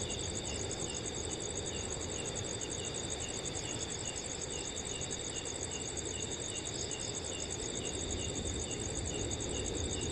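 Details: Crickets chirp in steady, high-pitched trills over a constant rush of wind in a forest on a cool summer night.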